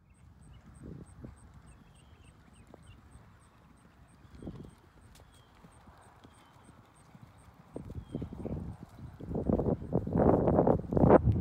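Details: Paso Fino horse ridden on a ranch in Pilot Point, Texas, by a rider learning the breed's smooth gait and the hand position for walking: faint scattered hoof taps at first, then quick rapid hoofbeats building loud toward the end, with a light high ticking throughout.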